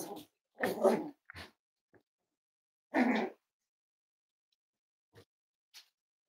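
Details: Cavalier King Charles Spaniel puppies, five weeks old, from Myra and Remy's litter, indoors at Red Barn Cavaliers on a chilly Thursday morning. Several short, rough, noisy bursts, with two longer harsh barks near the start and another around three seconds in.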